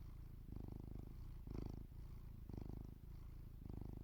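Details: Domestic cat sleeping in a village, purring steadily: low rumbling purr in alternating phases roughly every half second to one second, inhale and exhale pulses clearly separated, quiet and close.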